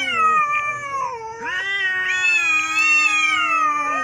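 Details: Continuous growling yowls from two neighbour cats fighting, steady wavering howls layered over each other without pause, pitch bending up and down.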